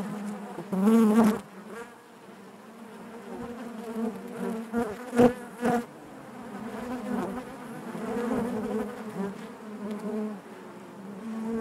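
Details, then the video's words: Honey bees inside the hive produce an unbroken, droning hum; a loud close buzz stands out near one second, followed by several shorter bursts mid-clip as bees move past the microphone. "bees therapy hive natural buzzing sound"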